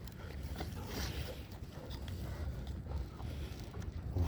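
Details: Steady low rumbling and handling noise with faint murmurs, no animal voice.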